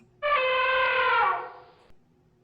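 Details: Elephant, presented among wild forest animals for children: one brassy, steady trumpet blast lasting about a second and a half, rich in stacked overtones, fading out into near silence.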